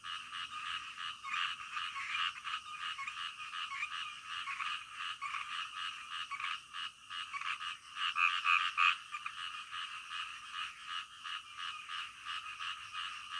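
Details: Night-time frog chorus of many overlapping, rapidly repeated croaks forming a steady rattling wall of sound, briefly louder around the eighth second, nothing else audible.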